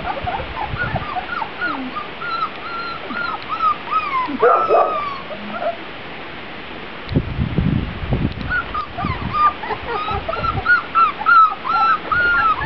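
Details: Young Grand Basset Griffon Vendéen pups taken outside for the first time, 23 June 2009, whimpering in thin arched squeals, several callers at once, with a woman's calm coaxing voice and thumps in between.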